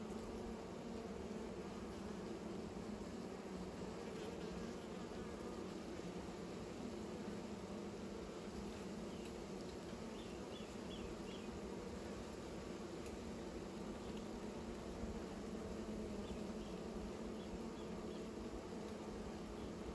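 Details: Bees making new nests, a steady low buzzing drone that hums on without a break for the whole stretch, with a few faint, brief high chirps in the background.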